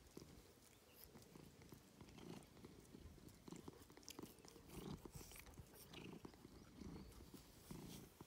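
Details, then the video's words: Domestic cat that loves attention purring; a low, rumbling pulsed purr runs steadily through the recording, mixed with small clicking and rustling sounds close by. "A purring cat is sometimes the best most cozy thing"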